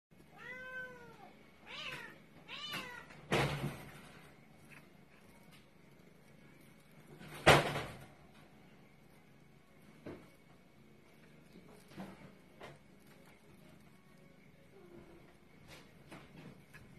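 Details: Maine Coon kitten indoors giving three clear, high arched meows in the first three seconds, each rising then falling, followed by loud knocks and bangs and soft handling noises in a small room.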